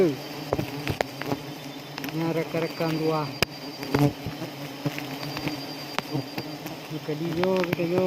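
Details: Continuous low humming drone of wild honey bees at a forest honey harvest in Aceh, Indonesia, high in a big tree, with people's voices calling intermittently and occasional knocks.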